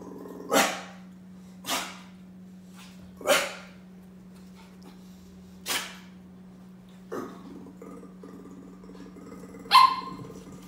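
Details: Brussels Griffon puppy, hyper and playful, letting out six short barks at irregular intervals of one to two seconds over a constant low electrical hum.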